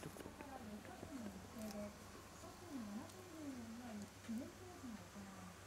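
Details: Shiba Inu puppy at home whimpering in a run of quiet, wavering whines that dip and rise, each under a second, with a steady low hum in the background.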